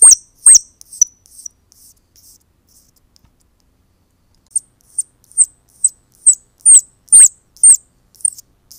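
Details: Baby squirrels crying to attract their mother to collect them: high, thin squeaks near the top of the range, a short burst at the start, a pause, then a steady run of about ten sharp downward-slurred peeps roughly every half second.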